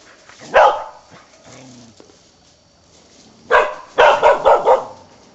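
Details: Karelian bear dog barking during a wild boar hunt, one loud bark followed after a pause by a quick burst of four or five harsh barks, over steady outdoor background noise.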